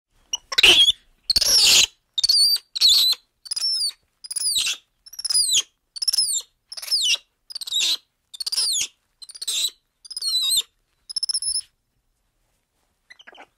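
A black-handed spider monkey calls in a string of shrill, squealing notes that bend downward in pitch. The chirps come at a fairly steady pace, about one per second, then stop.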